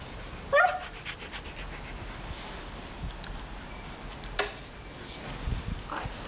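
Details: Siberian Husky asking for his sausage toy: one brief high whine that slides downward at the start, followed by a sharp knock and soft rustling over steady background hiss.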